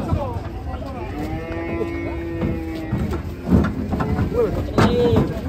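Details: Large black cattle raging while being unloaded from a truck, giving a long, level, low moo that holds steady for over a second, amid shouting people, crowd noise and background music.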